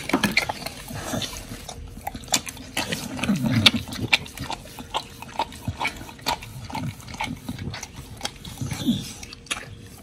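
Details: Pit bulls Oli and Nommy feeding on raw giant white snapper: wet smacking and ticking bites run throughout, broken by low grunting snuffles every couple of seconds.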